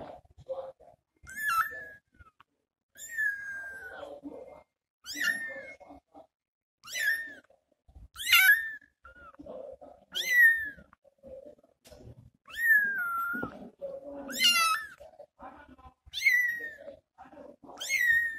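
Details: Kitten meowing after its mother left to look for food: a long run of shrill, sliding cries repeated every one to two seconds, each dropping in pitch, with quieter mewing and faint rustling between calls.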